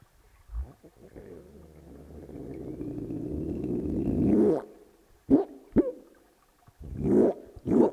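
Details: A captive adult male Hawaiian monk seal studied at UC Santa Cruz gives a low, growling underwater vocalization, a breeding behaviour.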